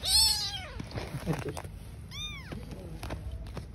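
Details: Street-living mother cat and newborn kittens: a long, bright, arching meow at the start, then a second shorter rising-falling meow two seconds later, with soft rustling between.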